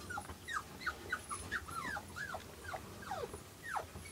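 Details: Two newborn silver Toy Poodle puppies, born 5 August and recorded 7 August 2011 beside their mother, give thin high squeaks that slide downward, about two or three each second, over a quiet, faintly rumbling room.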